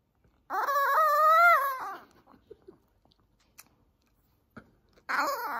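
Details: Maltese dog wailing in protest at having its nails trimmed indoors: a long, wavering, drawn-out cry of about a second and a half, then soft rustles, and a second loud cry starting at the end.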